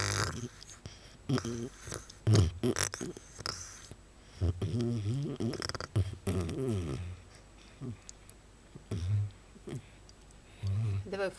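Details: Pet fox indoors in a small room, affectionate yet biting, making low pig-like grunts and snorts in short bursts throughout, some with rapid pulsing, while a person talks nearby.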